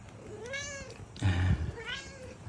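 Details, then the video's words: Two meows from a tabby cat, each a smooth arching call. Between them come a muffled bump and rustle. "Meow meow meow"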